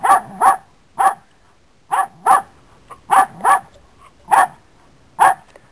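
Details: Dog in a standoff with a cat barks steadily, mostly in paired yelps, roughly once a second, each bark sharp and bright with no other sounds.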